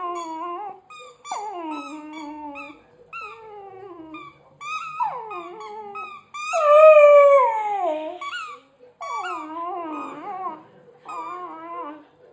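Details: Dog whining while chewing a squeaky hedgehog toy; a run of repeated whimpering whines, each sliding downward, with one louder, higher yelping cry midway through.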